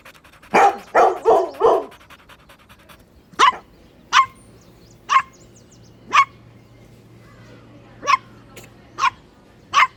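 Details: Puppies at play on green grass while competing for toys: a fast cluster of four overlapping barks, then single sharp yaps spaced about a second apart against a quiet background.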